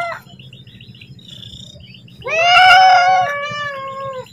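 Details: A cat asking its owner for food lets out one long meow that starts high and slowly falls, following a stretch of low background hum and faint squeaks.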